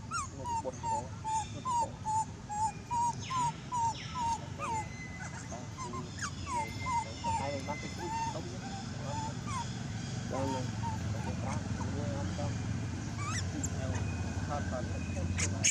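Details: Loud crying from an abandoned monkey: a rapid run of short tonal wails, about two per second, for the first several seconds, then fainter scattered cries among murmuring voices and low background noise.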